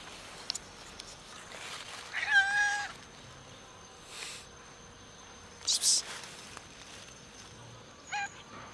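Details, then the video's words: Sick and hungry ginger cat gives one drawn-out, wavering meow, then two brief, sharper cries later, against a quiet, faintly hissing background. "Ginger cat is sick and hungry"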